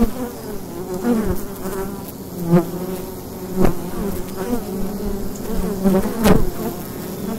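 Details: A dense, steady hum of many bees at the entrance of a wild beehive, by day in autumn, low and droning, with a few sharp knocks.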